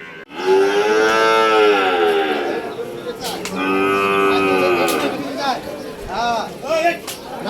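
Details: Cattle at a Hazratpur cattle market in 2024, held before Qurbani, bellowing loud drawn-out moos. One long harmonic moo lasts about two seconds, another follows, then shorter rougher calls come near the end.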